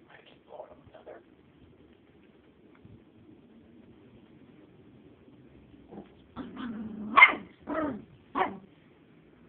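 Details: Miniature Chihuahua afraid of a small feather, recorded on an Android phone. A quiet start with faint sounds, then four short, sharp, high barks near the end while a person urges it to get the feather.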